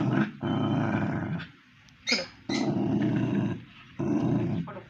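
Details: Pomeranian dog growling in three long, steady, low rumbling bouts separated by brief pauses and a sharp snap, while a person speaks in Tamil.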